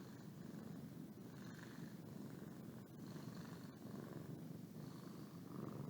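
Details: Boo, a pet cat, purring while yawning; a steady low rumbling purr runs throughout, rising and falling with each breath, with faint brief clicks and no other animals.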